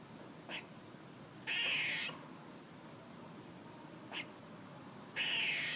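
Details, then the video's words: A squirrel calling: two long, grating, buzzy notes, each preceded by a short, sharp chuck, over quiet background hiss. "A squirrel making noises"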